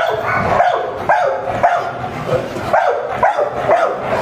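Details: Kenneled French Mastiff in Varanasi, India, giving steady, hoarse barks roughly every half second throughout, each bark a short harsh burst with a slight rising onset.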